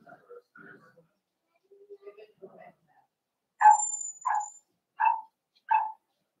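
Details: Four-week-old Cavalier King Charles Spaniel puppies in an indoor puppy pen, being socialized with older dogs: after faint talking, four short, bright whimpering yelps come roughly every two-thirds of a second, each a quick rising-falling squeak.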